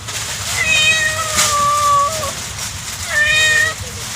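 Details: Domestic kitten mewing twice, each a clear, long, plaintive cry that holds a steady pitch and then drops at the end, about two and a half seconds apart, in a quiet indoor setting.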